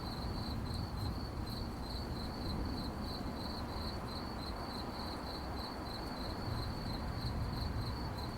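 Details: Night-time crickets keep up a shrill, evenly pulsed chirp, roughly three to four bursts each second, throughout the recording, set against a steady deep hum.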